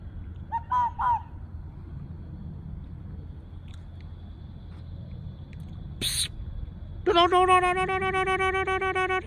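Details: Red fox found wandering, making a bird-like sound: a pair of brief arched cries early on, a sharp broadband crack midway, then a long, steady, pulsing harmonic wail lasting about two seconds against low background rumble.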